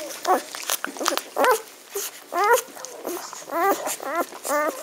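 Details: Magyar Vizsla puppies of a litter, recorded 17.05.2015: high whining whimpers with rising and falling harmonic arcs, repeated in short bursts roughly every half second, some overlapping, indoors.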